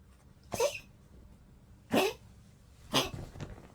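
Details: A 15-year-old Poodle coughing on its birthday, 25 March 2025: three harsh, breathy bursts about one second apart, each short and rasping, with quiet room background between them.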